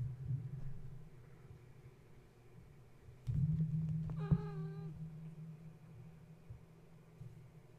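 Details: Kitten in Gaia's litter, stirred awake at bedtime when a space heater was switched on and now restless and climbing; one short, bent mew midway through, with knocks and a constant low rumble around it.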